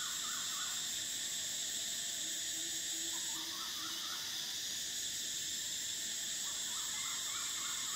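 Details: Cicadas singing in summer: a dense, steady high-pitched drone that holds unbroken throughout and shifts slightly in tone midway, with faint soft chirps from other creatures below it.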